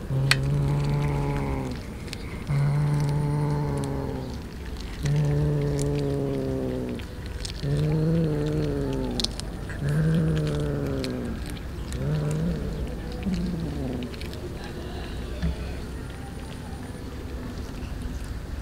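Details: Street cats, many of them, eating raw fish; a run of drawn-out, low, moaning meows, each about a second and a half long, follows roughly every two and a half seconds, then fades into softer, broken calls.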